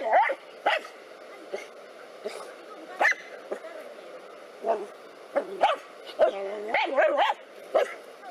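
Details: Two black dogs fighting a cobra give short, sharp barks at irregular intervals, several close together near the end with higher whining yelps mixed in, over a steady background hiss and possible voices.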